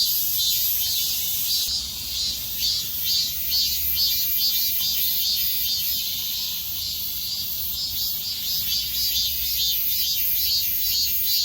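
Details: Midsummer cicada chorus: a dense, shrill high buzzing that never stops, swelling in soft pulses a little over twice per second, with a sharper layer joining near the two-second mark over a faint low rumble.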